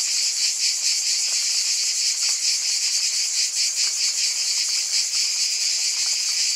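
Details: Cicadas buzzing in a continuous, shimmering chorus: a dense high-pitched drone with bright bands, a steady pulsing throb and a constant loudness. No other clear sounds.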